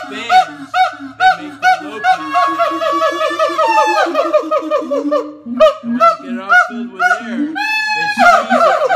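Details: Siamangs, largest and loudest gibbons, at the Los Angeles Zoo: a rapid series of rising hooting notes repeated about twice a second, building into loud overlapping whoops with barking bursts.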